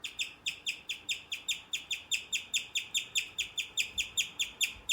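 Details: A male guinea pig chirps in a steady, bird-like run of high, quick notes, several each second.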